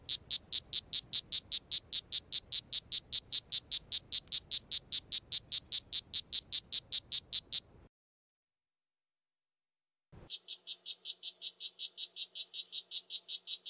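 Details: Poison dart frog calling in a fast, even train of short high chirps, about two and a half per second, for nearly eight seconds; after a two-second gap a slightly lower, similar pulsed chirping series resumes.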